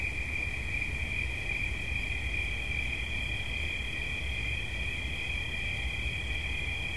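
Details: Crickets trilling for relaxation, two steady high-pitched buzzing tones running side by side without pause for the whole stretch, with a faint low background hum beneath.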